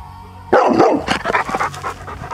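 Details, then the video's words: Male golden Labrador, described as very vocal and missing his owners, answering with a burst of throaty, grumbling talk-like vocalizing and broken whines for about two seconds right after his owners are called. "Cute Dog Misses Mom & Dad!"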